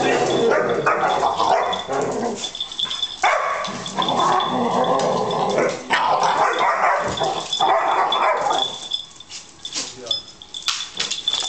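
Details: Pair of Labrador Retrievers in a scuffle, recorded 97/12/26. Harsh growling and snapping barks pour out in a rapid, irregular stream for about eight seconds, then ease into quieter, broken grumbles.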